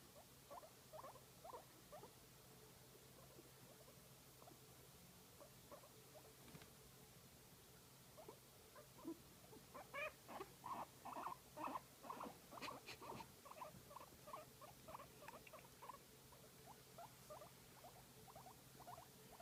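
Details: Massaged guinea pig making faint scattered squeaks at first, then a louder rapid series of chirping notes in the middle, easing back to soft irregular squeaks, with a low hum throughout.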